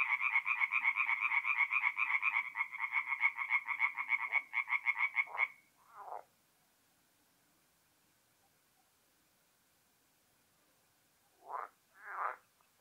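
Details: Tree frogs calling at night at a forest pond in north-east Italy in mid April: a dense, fast rattling chorus of rapid pulsed croaks for about five seconds, then silence, followed near the end by two short separate bursts.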